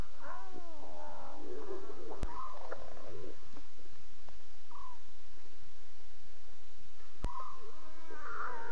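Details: Lion cubs calling to each other in the night, 2:40 a.m. CAT, October 5, 2016, on Safari Live: a burst of warbling, wavering mews early on, then brief, thin calls and faint clicks over a steady low hum.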